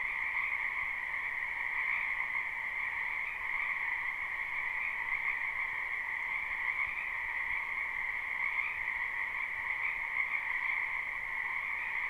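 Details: Many frogs croaking in spring in a wetland behind a house, recorded live without looping: a dense, unbroken chorus of overlapping trills that forms a steady mid-pitched band and a brighter higher band, with no pauses.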